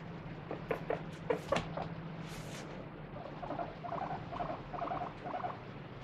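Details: Pet guinea pig kept free-roaming, wiped down during a body check: handling rustles and thumps come first, then a short series of quick squeaky cries grows louder toward the end.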